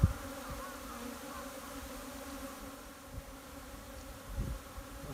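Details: Swarm of Japanese honey bees moving into a new hive in spring, 15 April 2021, entrance busy; continuous low humming drone with soft thumps and faint bumps.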